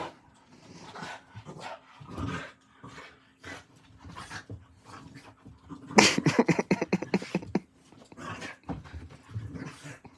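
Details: Two dogs, one seven and one five months old, play indoors at 11:40 at night. Scattered short rough growling bursts build to a loud, rapid run of harsh barks and growls around the middle, then ease off into softer grumbles.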